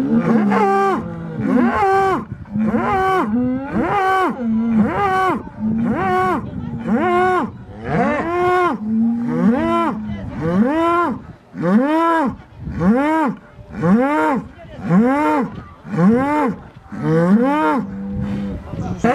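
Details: Bulls threatening one another before a bullfight at Holy Week in Chupas, Ayacucho: a rapid series of arched, moaning bellows, roughly one per second, rising and falling in pitch, with steady low rumble beneath.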